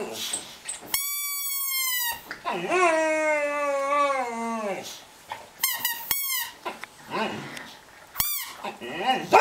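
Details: A pet dog 'singing': wavering, sliding howls with rich harmonics that fall in pitch over about two seconds, preceded and followed by steady, sustained instrument-like tones and short yelping notes, indoors.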